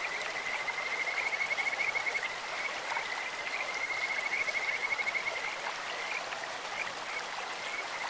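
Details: Kajika frogs call over a clear stream: two long runs of quick, high, whistling pulses at an even pitch, separated by a short pause, then faint notes, set against a continuous hiss of running water.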